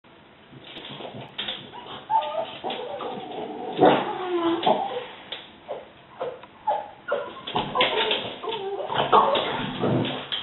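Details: Several pet French Bulldogs barking excitedly as the window cleaner arrives, a fortnightly visit they love; short harsh barks and yelps in uneven bursts, some spaced about a second apart, with a few softer whimpering sounds between.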